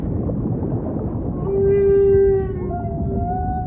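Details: Humpback whale voicing a loud, steady mid-pitched moan rich in overtones, sliding into a slightly higher tonal note over low background rumble.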